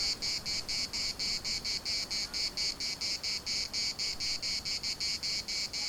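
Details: A chorus of cicadas in Larnaca's municipal park: a harsh, high buzzing beaten out in rapid regular pulses, roughly four or five a second, with no pause and little else audible beyond a soft low rumble.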